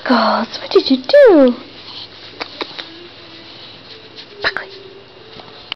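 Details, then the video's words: Shiba Inu named Kitsu making funny noises while playing indoors with Buckley, a beagle mix; a few short yelps and one rising-falling whine-like howl early on, then quiet with faint thumps. "Kitsu's funny noises"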